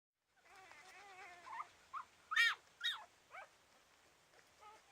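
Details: Five-day-old rough collie puppies from a litter of seven, born to a mother called Ume, jostle to nurse because one side's teats are not enough for them all. High harmonic whines, then a run of short rising-and-falling squeals over a soft hiss.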